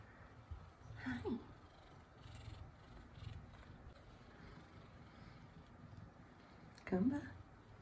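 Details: A gentle F2 Savannah cat, male, gives two short meows, one early and one near the end, seeking affection amid soft human talk.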